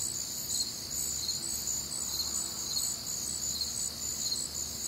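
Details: Crickets and other night sounds on a warm, humid Midwestern summer evening; rapid high chirping pulses in stacked pitches form a constant shimmering chorus, with a soft low rumble beneath.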